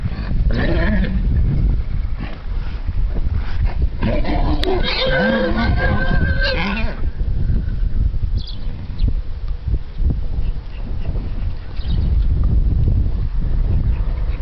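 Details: A playful stallion showing his dominance calls with a harmonic, wavering whinny lasting about two seconds midway, over constant heavy low wind rumble and handling noise.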